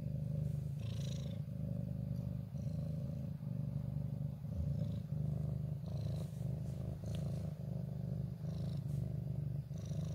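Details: Ginger cat, wary but camera-loving, settled in a favourite corner on 14 January 2023, purring steadily: a low continuous rumble with rhythmic pulses throughout, faint brief higher rustles above.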